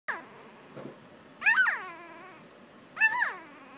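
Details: A six-day-old Jackador puppy squeaks vocally. Three high, wavering, falling squeals come about every one and a half seconds, with a faint soft rustle between them.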